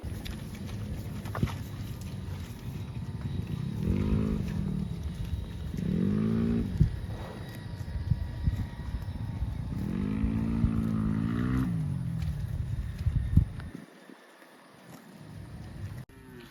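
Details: Cows mooing: three low, drawn-out, wavering moos, the last and longest lasting about two seconds, over a constant low rumble of wind and engine-like noise, which briefly drops out near the end.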